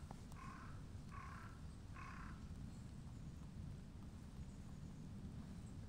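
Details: Street cats, a tortoiseshell and a shy brown tabby, greet a returning visitor and seek affection. One gives three short, tonal meows about a second apart, then falls quiet over a steady low outdoor rumble.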